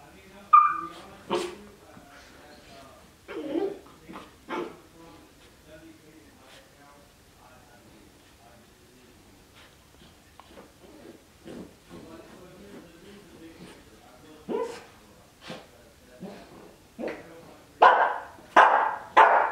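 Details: Playful Cardigan Welsh Corgi puppy, twelve weeks, in a dog bed: scattered soft yips, whines and small grumbles, quiet stretches of rustling, then loud sharp barks building near the end.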